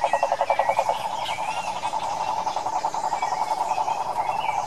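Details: Wild cane toads of Brazil's Pantanal give fast pulsed trills, a strong throbbing burst at first, then a steady overlapping chorus beneath faint bird chirps.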